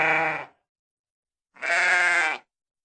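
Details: Sheep bleating: two harsh, buzzy, wavering bleats about a second apart, the first cut short at the start, the second lasting nearly a second, with silence between.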